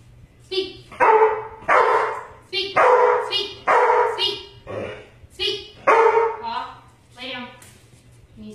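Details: Two-year-old male Black and Tan Coonhound, a pet doing basic training and told to speak. Deep, drawn-out baying barks come about once a second, each a rough, resonant burst. A low steady hum sits underneath.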